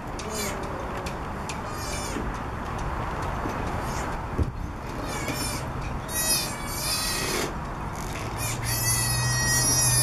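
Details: Three-week-old southern sea otter pup, born around January 15, on the back of a boat at the dock in Monterey, California, crying for its mother: high, harmonic squealing cries in bursts, louder near the end, over steady rumbling background noise.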